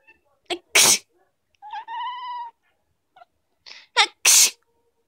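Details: A Chinchilla Persian cat sneezes twice in sharp hissing bursts, with a short steady mew in between; after sneezing she makes a "kekeke" sound.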